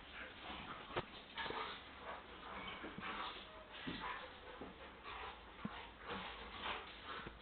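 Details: Pet dogs at play produce soft, hoarse growls and huffs in short rising bursts, spaced about half a second apart, with a few sharp clicks and thumps from their movement.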